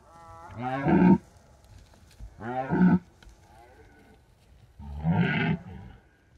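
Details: Red deer rutting at night in the Bucovina mountains at the height of the season, drop rig recording; three hoarse, throaty roars spaced about two seconds apart, each rising then breaking off, quiet between.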